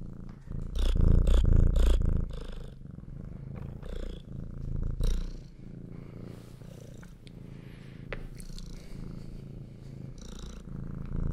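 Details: Pet cats purr at close range to a Zoom H6 recorder indoors, a low throbbing rumble that is loudest in the first two seconds, then continues softer and even, with light rustling and tapping.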